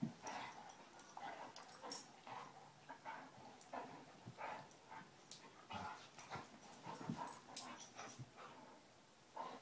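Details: Two Basset Hounds, Tracker and the new puppy Ranger, rough housing in play: a steady run of short scuffling bursts, quick yips and throaty growl-like noises, irregular and overlapping, with no pauses.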